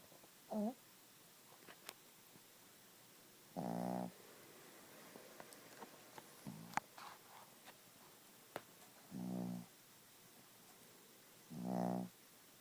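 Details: Snoring Chihuahua Gidget, asleep: a series of low, buzzing, half-second snores at irregular intervals of two to three seconds, with faint clicks and a quiet room behind.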